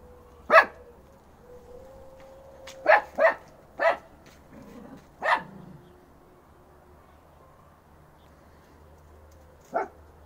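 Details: Dogs in a yard as Dobby, a three-month-old Fox Terrier puppy, charges Gretta, a two-and-a-half-year-old female Alabai; sharp single barks spaced irregularly, a quick pair near three seconds, then a lone bark near the end.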